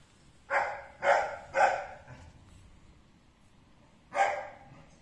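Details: White male Pekingese puppy barking: three quick, sharp, yappy barks in a row, a pause of about two seconds, then one more bark, with a quiet room in the background.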